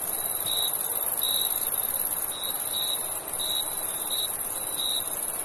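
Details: A cricket chirps in a summer night, its brief high notes coming in quick regular bursts, backed by an unbroken, very high-pitched insect hiss.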